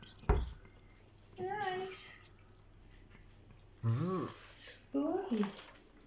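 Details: Rescue cat at breakfast feeding time indoors gives three drawn-out, wavering meows, each bending up then down, spaced a second or so apart, after a sharp knock and amid quiet room noise.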